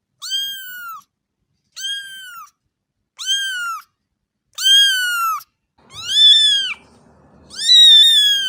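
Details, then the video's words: Domestic cat meowing: six arched, harmonic-rich meows, each under a second long, spaced about every one and a half seconds, the later ones louder and longer, with a faint low rumble under the fifth call. "صوت قطة"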